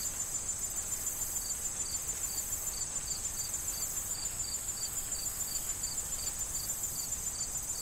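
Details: Crickets calling in an autumn corn field awaiting harvest, with wind and rustling stalks: steady high chirps about three and a half per second over a thin continuous insect whine and low wind rumble.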